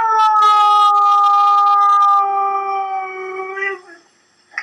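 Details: A French bulldog, responding to a video of a husky saying "I love you," holds a long, tuneful, vowel-like howl that wavers and slowly sags in pitch, ending in a brief rough catch, then a faint noise.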